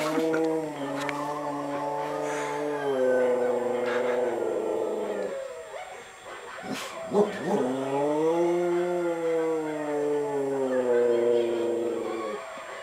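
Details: Pet dog attempting a howl, giving two drawn-out tonal howls of about five seconds each. The pitch holds fairly level and then arches gently. A brief break between them carries some clattering noise.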